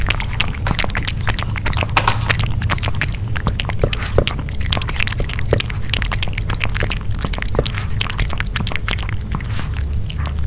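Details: Nino, a dog, chomps grilled pork with dense rapid chewing clicks and wet smacks throughout, over a steady low hum, no speech.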